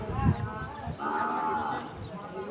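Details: Cattle at the Batajor cattle market in Bhaluka, Mymensingh, where large cattle are sold to farmers: a drawn-out, even moo lasting under a second, surrounded by traders' voices haggling over prices.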